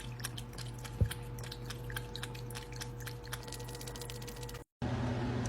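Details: Wet chewing and crunching in a small indoor room, with a steady low hum and a faint tone, a brief thump near one second, then a short dropout before noisier room sound resumes; no animal voice is heard.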